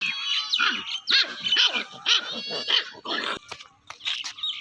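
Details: Puppy at play, giving a run of short arched yelps and squeals about twice a second, with harsh noisy bursts between them and faint music in the background.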